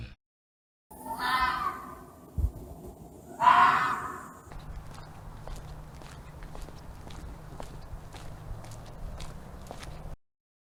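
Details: Two hoarse, breathy fox screams two seconds apart from an angry, howling animal. Soft rustling and footstep-like ticks follow over a low rumble.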